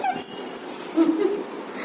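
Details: Labrador Retriever puppy giving a short, thin, high whimper that rises and falls twice in under two seconds, over faint background hiss.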